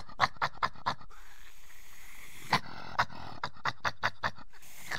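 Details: Badger making quick breathy huffing pulses in short runs, with a gap of quieter hiss between bursts and a sharper snort at the end.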